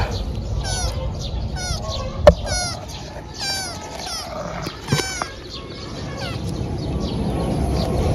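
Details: A thin kitten, found crying and in need of help, mews repeatedly: about ten high, thin, falling cries, some in quick pairs, over a soft background hum, with a few sharp clicks.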